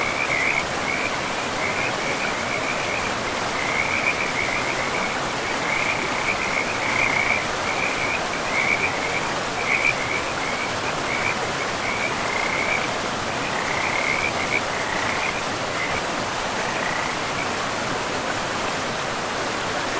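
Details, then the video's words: In a pristine forest by a river, frogs produce a long series of quick, high rattling trills in clustered bursts that thin out toward the end, carried over the steady broadband roar of flowing water. "River and Frogs sleep sounds"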